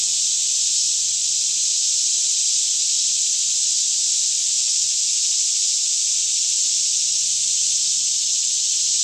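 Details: Daytime cicada chorus in a green forest near Franklin, Kentucky, recorded around 10am on a calm morning; an unbroken, shimmering high-pitched drone holds even in loudness throughout, over a faint low hum.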